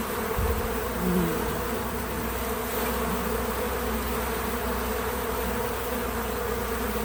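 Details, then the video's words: Several bees at a feeder at work, natural audio only: continuous low buzzing hum with a brief louder pass near the start, then an even drone over background hiss. "Bees in Slow Motion at the Feeder 🐝 | Natural Buzzing Sounds"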